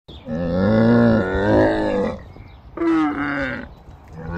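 A camel gives two loud, groaning bellows, the first long and wavering for nearly two seconds, the second shorter and rougher after a brief pause.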